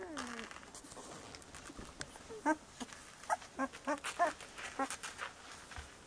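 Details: Seventeen-day-old Bordoodle puppies making a falling whine at the start, then a run of short high squeaks and yelps clustered between two and five seconds, amid soft rustling and shuffling.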